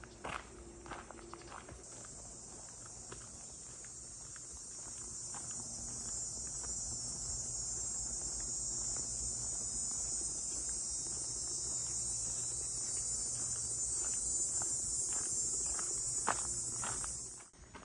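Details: Cicadas sing high in trees along Sydenham Lake's north shore on a warm, humid, calm, semi-overcast August morning around 9–10 am, a steady, high, shimmering buzz that swells slowly, with footsteps crunching along beneath it.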